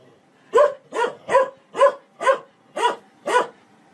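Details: A dog gives seven even, clipped barks, spaced about half a second apart, clear and loud against a quiet background.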